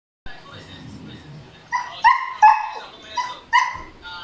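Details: Male Siberian Husky, noisy because a female is in heat, gives a run of short, high, whiny yelps in quick bursts after a quiet start with a faint low murmur.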